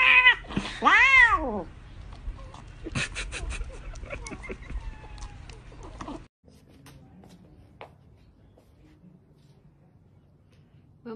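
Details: Cat giving two quick meows that rise then fall in pitch, right at the start, then a person speaking Portuguese with faint indoor sounds and a quiet stretch.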